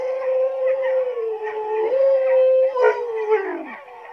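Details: A Siberian Husky howls in one long, sustained, slightly wavering tone with a brief upward lift midway, ending in a falling slide; a person's voice asks what it is.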